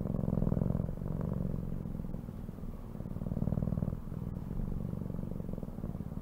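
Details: Low, continuous cat purr made of fast, even pulses, pulsing stronger and softer in long cycles over several seconds.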